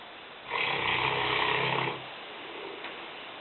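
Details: Lena, a 5-year-old female Newfoundland weighing 150 pounds, snores while sleeping in the kitchen: a single long, rasping, broadband snore of about one and a half seconds, then quiet breathing.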